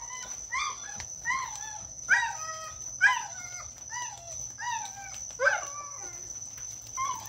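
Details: Neighbour's dogs in Omao, described as a constant nuisance, bark in an uneven run of sharp, ringing barks, roughly one every half second to second, some doubled, over a steady high-pitched whine throughout.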